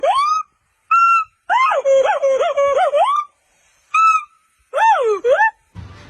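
Monkey calls: clear, whistle-like hoots that rise and fall, some held steady, others wavering quickly.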